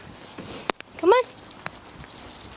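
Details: American terrier named Simba, jumping at home in the morning: one short, high whine that rises then levels, with bright harmonics and lasting about a quarter second, amid a person's encouraging words and light household clatter.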